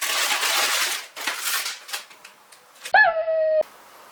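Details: Shiba Inu twin puppies, a brother and sister, trying on dog yukata: after fabric rustling, one puppy gives a single short, clear, tonal whine lasting under a second, holding steady then cutting off abruptly.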